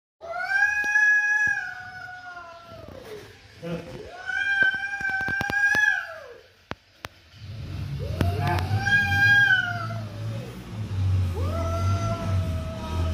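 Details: Mother cat and kitten in an angry situation: long, drawn-out harmonic yowls that hold level and then bend downward. Several come in sequence with short gaps and a few sharp clicks, and a low rumble follows later.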